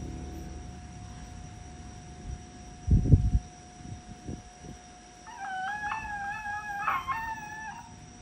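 Dull thumps and rustling come first, then a Chihuahua's crying begins: a thin, high-pitched whine that wavers, breaks briefly, and slides upward. The whimpering runs for a few seconds over a faint steady hum.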